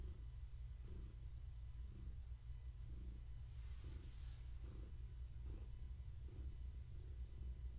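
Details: Pregnant long-haired tabby Gaia purrs contentedly under petting on an evening belly check; rhythmic, deep, buzzing rumble rising and falling on each inhale and exhale, a faint brief click midway.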